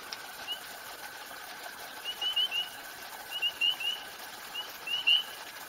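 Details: Spring peeper, a small brown tree frog with a brown X on its back, calling at a pond at night in Highlands, North Carolina: short, high, upslurred peeps in loose clusters from several frogs, fairly faint over steady background hiss.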